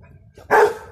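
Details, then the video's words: Clyde, a Rottweiler puppy close to six months old, in his spook period and wary of a football he punctured that is hissing; a single short loud bark over a low background hum. "Our Rotty spooked by hissing ball"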